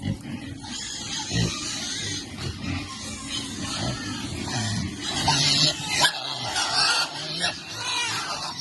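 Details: Piglets enjoying cool water, seemingly content: low, irregular grunts recur about 45 times a minute under a dense, steady hiss of broadband noise, with possible human voices mixed in.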